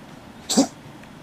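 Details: Unwell pet cat named Mi-chan giving a single short, harsh, noisy cough or sneeze-like burst over quiet room hiss.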